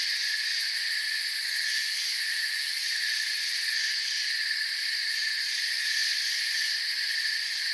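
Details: Crickets in forest ambience chirp in a dense, unbroken chorus. Several shrill layers stack from mid to very high pitch and stay at an even, steady loudness throughout. No other clear sounds are present.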